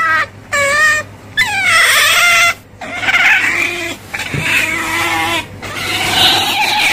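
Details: Otter squealing in drawn-out, wavering cries, first in short separated bursts, then a long rough run of overlapping squeals; a faint low hum persists throughout.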